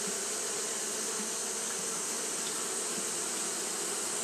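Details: Continuous buzzing of Japanese honey bees fanning in the heat, a uniform droning hum topped by a strong high hiss, steady from start to finish.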